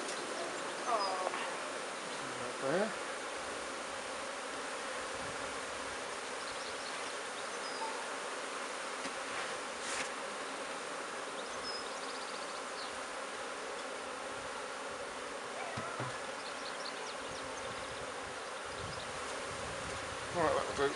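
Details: Honey bees from a new swarm being put into an empty hive by a beekeeper. A steady, dense buzzing hum runs through the whole stretch, with faint brief voices near the start and end.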